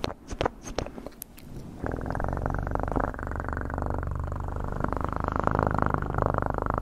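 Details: Domestic cat purring close to the microphone for ASMR; a second or so of scattered soft taps and clicks, then a steady, deep rumbling purr with fine rapid pulsing that runs unbroken to the end.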